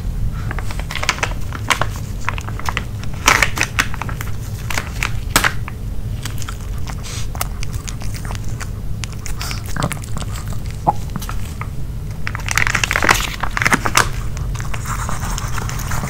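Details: Dog named Nino eating a grilled pork pouch indoors: sharp bites, tearing and crinkling bursts, busiest near the start and around thirteen seconds, all over a low steady hum.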